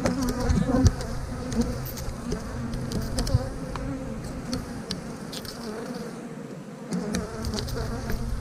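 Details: Bees of a honey bee hive being moved into an eight-frame box for more space; continuous low buzzing drone with scattered clicks and knocks from handled frames, briefly fading near the end.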